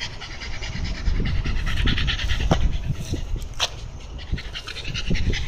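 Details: Shiba Inu breathing hard in fast, uneven pants, about three per second, outdoors by a canal in Amagasaki, Japan, with a steady broadband hiss behind.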